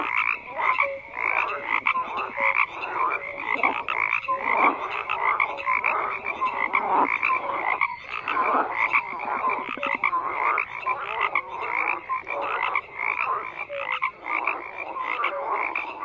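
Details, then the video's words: Many frogs croaking together in a steady, dense chorus: rattling pulsed calls overlap without pause, with a few short clear notes scattered through. "FROGS CROAKING"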